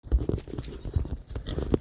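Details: On a homestead in the evening, a hungry female pig gives deep, rough grunts in quick irregular bursts at her owner, asking to be fed.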